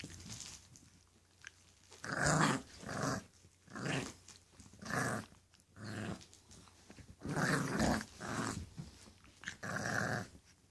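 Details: English Bulldog puppies growling in a steady run of rough, harmonic bursts about once a second, loud and close, in a small indoor room.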